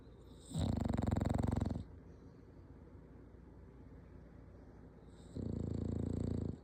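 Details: Dog snoring indoors: two low, rattling snore breaths, each over a second long and pulsing rapidly, separated by about three and a half seconds of quiet breathing and room hush.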